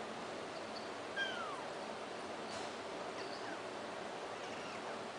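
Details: Kittens mewing: a faint, thin meow that falls in pitch at about one second, then a few softer high mews later, all over a constant steady hiss.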